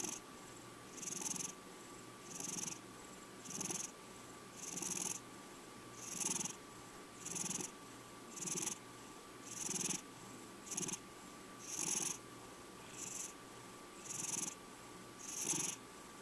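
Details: Checkers, a male cat of five years, purrs in a long regular series, each raspy breath-pulse spaced about one and a quarter seconds apart, thirteen pulses with little else heard.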